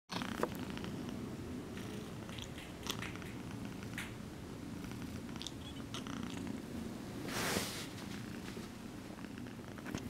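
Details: Choco Ball, an exotic shorthair kitten, purring while she gently massages her human after being petted; a steady low rumble runs throughout, with soft rustling clicks and a brief burst of broadband noise midway.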